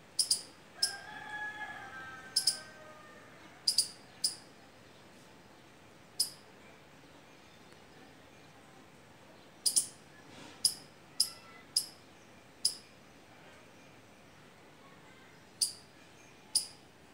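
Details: Squirrel calling from fruiting mango or litchi trees during the season. Sharp high chips come in irregular bursts separated by pauses, with faint bird whistles near the start and a steady low background hiss.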